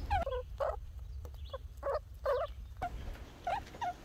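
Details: Little Red, a red squirrel, makes bursts of harsh, nasal chirping squeaks in short clusters about every half second, with low background rumble.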